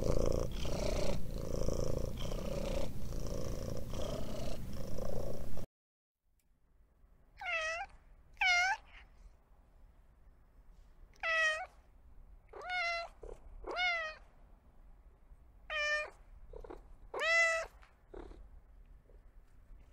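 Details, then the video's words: Domestic cat purring with a low, rough, pulsing rumble for about five seconds, then after a pause giving a string of about nine short, bright meows, some rising and falling, spaced irregularly one to two seconds apart. "Realistic and relaxing cat sounds"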